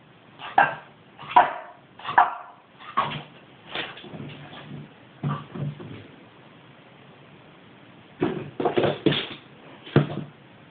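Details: Young Boston Terrier, five months old, frustrated at a ball stuck in its basket. Short, sharp barks come roughly every second at first, then fade into softer yaps, fall silent for two seconds, and return as a quick burst of rough barks.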